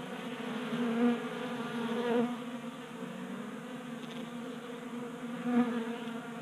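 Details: Honey bees feeding at a table-top 3D-printed feeder on a garage workbench in Colorado, active in unusually warm January weather at 60 degrees; a steady low droning buzz with layered harmonics, swelling briefly as individual bees pass close.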